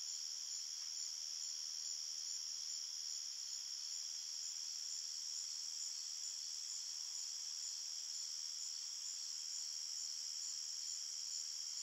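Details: A steady wall of cricket chirping at night in a forest, high and ringing in several layered bands, constant in volume, with no birds, voices or music.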